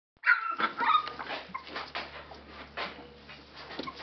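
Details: Litter of 19-day-old Labrador Retriever puppies in Belgium, eyes recently opened, making a racket while awake: overlapping high squeaky yelps and whines, several at once, then scattered softer squeals and rustling.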